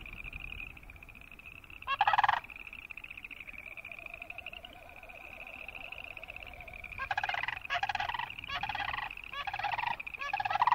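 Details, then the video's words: Boreal chorus frogs. A distant high pulsing chorus is broken by one loud rasping trill. After a lull, a series of close, harsh, clicking trills follows, with short gaps between them. "Boreal Chorus Frog sound"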